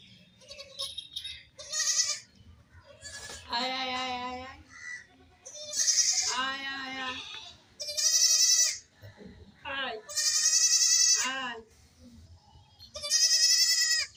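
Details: Baby goats playing and jumping, a young goat apart from its mother crying: loud, wavering, high-pitched bleats repeated every couple of seconds, some long and quavering, with quieter short calls and faint voices between.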